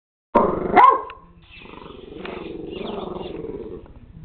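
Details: Puppy barking at a robot dog: one sharp bark followed by a softer whining, grumbling tail and a steady low mechanical ticking underneath.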